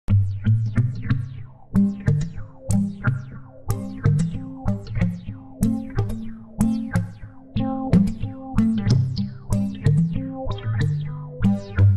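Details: Electronic music with a steady drum-machine beat, deep bass and synthesizer notes, with no animal sound.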